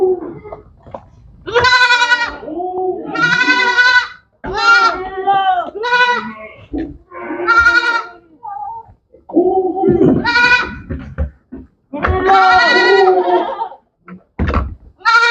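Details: Goats bleating on a goat farm, several loud harmonic bleats about a second long following one another with short gaps, some wavering, with overlapping voices from more than one animal.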